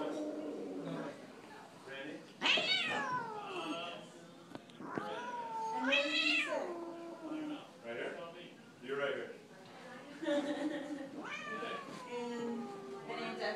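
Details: Two house cats, Wispy the dark cat and Rex the spotted cat, fighting indoors on Thanksgiving: drawn-out wavering yowls that rise and fall, with brief gaps, while people talk over them.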